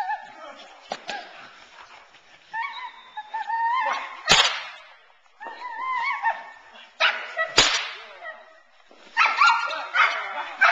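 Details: Teal, a nine-month-old Boerboel bitch in protection training, frustrated off the sleeve to build intensity: high harmonic whines and yelps in bursts, with sharp whip-like cracks at about four and seven and a half seconds.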